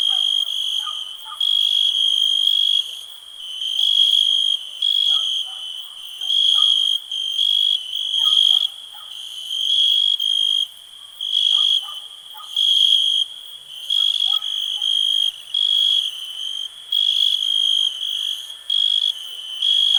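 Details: Cricket. A cricket gives a shrill, ringing trill broken into rhythmic bursts roughly once a second. Faint lower clicks and chirps, perhaps other insects, tick quietly beneath it.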